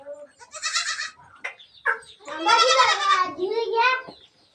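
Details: Hungry goat kids wanting milk, released in the morning at Sangli: a short bleat, then a long, tremulous bleat falling at the end, with people talking over it.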